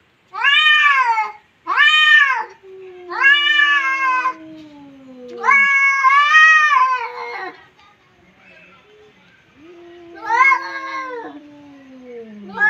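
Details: Domestic cats locked in a yowling confrontation: loud, arched wailing calls lasting up to two seconds, answered by low, steadily falling moans, with brief quiet pauses between bouts indoors.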